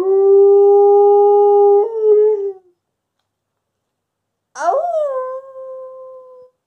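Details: At night, a Wolamute dog woken by a siren and prompted by its owner's fake howl howls in long, drawn-out tones that slide down and then hold steady.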